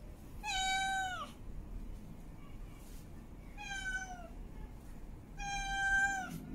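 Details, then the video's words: Three drawn-out meows from a female cat in heat calling for a mate, each about a second long, level then dipping slightly, with bright overtones and soft background noise between. "Female Cat In Heat Meowing Mate Calling"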